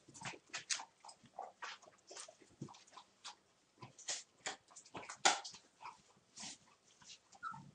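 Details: A one-month-old puppy litter playing, brief high yips and whimpers spaced by short pauses, plus a sharp squeak partway through and light scuffling between calls.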